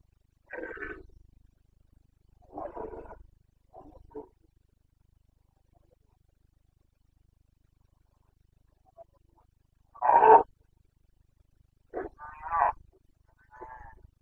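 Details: Carpathian red deer stag in the Bucovina mountains of Romania, roaring during the breeding season on 29 September 2022. It gives six separate harmonic, hoarse bellows spread across the stretch, with long silent gaps between them.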